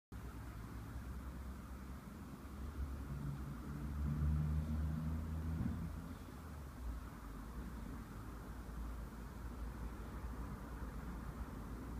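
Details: A low engine rumble and traffic hum continue throughout, with no animal calls.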